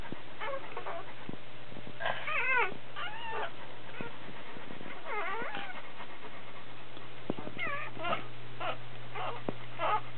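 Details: Whelping Dobermann, a puppy being born: clusters of high, wavering squeaky cries with sliding pitch, some in quick runs, separated by quiet gaps, with a constant low hum underneath.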